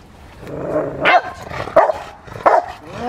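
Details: Rottweiler Fire v LordsNLadies during schutzhund (IGP) protection training barks in short, sharp bursts about every 0.7 seconds over a low background rumble.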